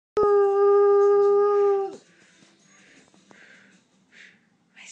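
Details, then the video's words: Lurcher howling indoors for his greyhound companion after she is taken out for a walk without him; one long steady tonal howl of nearly two seconds with rich harmonics, then a woman speaking softly. "Moss Howling for Lucy"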